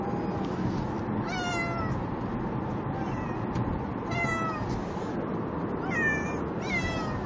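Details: Two pet cats plead in a moving vehicle on the way to the vet for rabies shots. Four drawn-out, wavering meows sound over a steady low engine rumble.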